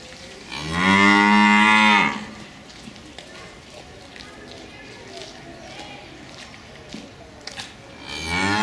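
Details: Cow protesting loudly because the keeper is late and the two animals want back into the barn at their usual time: one strong, steady moo of about one and a half seconds, then quiet clatter and the start of another moo.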